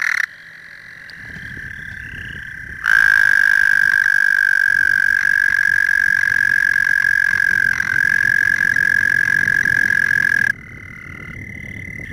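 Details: American toad gives a long, steady, high musical trill lasting several seconds, recorded in spring from about April at a water source.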